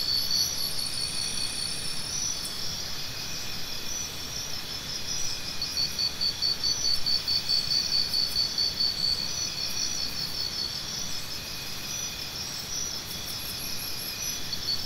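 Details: Continuous high-pitched cricket chorus, with one nearer cricket trilling a quick series of evenly spaced sharp pulses for several seconds in the middle, over faint low background noise.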